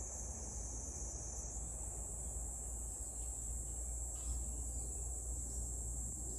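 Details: Continuous thin, high buzzing of cicadas in Meguro, Tokyo, 27 June 2023, wavering slightly in pitch early on, set against a heavy low background roar of urban traffic.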